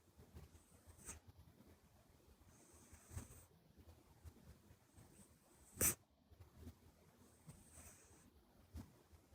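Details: Buri, a short-legged, flat-nosed Minuet kitten, asleep and snoring; soft breathy snores with a high whistled nose note recurring about every two seconds, plus faint rustles and one sharp click.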